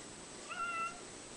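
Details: Domestic cat lying in the sunshine, crying for pats: one short, level, clear meow lasting about half a second, over a faint steady background hum.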